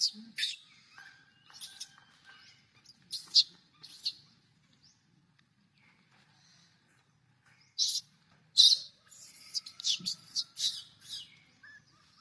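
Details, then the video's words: A young monkey that wants milk cries in short, shrill, raspy screeches, grouped in clusters separated by quiet gaps, with a faint whistled thread running between some bursts. "The little monkey is addicted to milk, crying and making noise."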